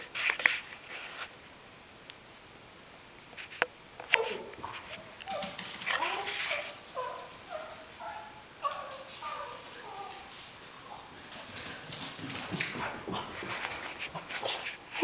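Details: Cavalier King Charles Spaniel, a pet dog, whimpering indoors as he misses his owner and is teased with questions about where daddy is; a run of short, high, wavering whines in the middle, with a woman's voice speaking around them.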